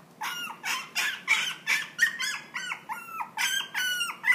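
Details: Maltese × Toy Poodle cross dog whimpering in quick succession, about three nasal, high-pitched yelps per second, each bending down in pitch at its end, with no other sounds.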